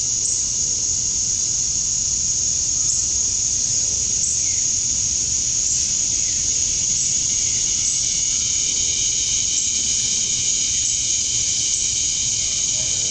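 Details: Cicadas chirping at dusk on a summer night in Georgia, USA; male cicadas chirp to attract females. A dense, steady high-pitched drone holds throughout, with several layered buzzing bands and a faint low rumble underneath.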